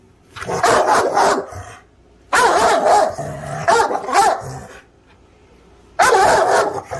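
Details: Presa Canario giving loud, rough barks in three clustered bursts, each bout holding several deep, broadband woofs, separated by short silences.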